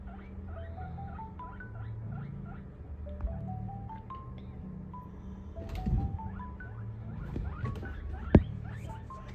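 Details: Three-month-old guinea pigs (Cavia porcellus), a female English and a male Abyssinian, give wheeking calls: runs of whistled squeaks, each climbing step by step in pitch, over a low hum.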